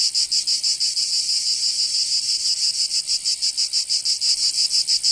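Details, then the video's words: High, fizzing cicada chorus on a summer day in Provence, southern France. The buzz pulses about three times a second, blurring into a steadier hiss in the middle before the beats return. "Escuchar les cigarras en verano"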